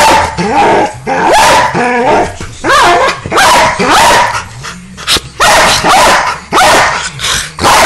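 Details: Pit Bulls, more than one, worked up and almost fighting over a laser pointer: loud, harsh barks and high, wavering yelps come in rapid bursts about every second, each burst quickly rising then falling.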